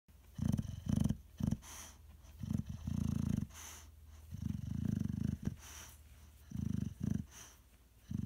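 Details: Boxer dog snoring while running in his sleep: deep, low rumbling snores in uneven bursts of about half a second to a second, with short quiet gaps and faint higher clicks in between.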